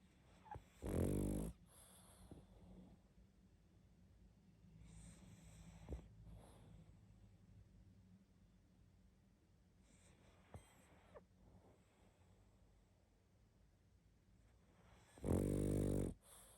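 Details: Pug sleeping and snoring heavily: two loud, rasping snore bursts about a second long, near the start and the end, with quiet breathing between them.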